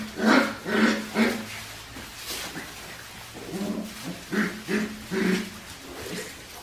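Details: Australian Shepherd puppies from Winnie's litter, aged four weeks and five days, on a baby cam: about eight short, tonal whines and yelps, in a quick cluster of three, then a pause, then a second run of five, over a low steady hum.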